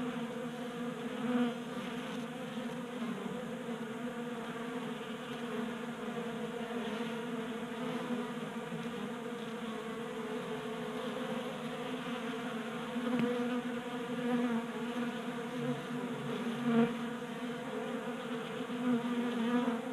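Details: Steady, low droning hum with layered overtones from honey bees crowding a 3D-printed bee feeder indoors in a Colorado garage in January. The wingbeat hum swells slightly in places over twenty seconds, with faint ticks.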